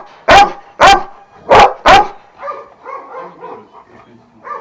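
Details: Šarplaninac at a kennel of twelve dogs of Vujanski lineage in Jasika near Kruševac: four loud, deep barks about half a second apart, then softer, lower grumbling sounds trailing off.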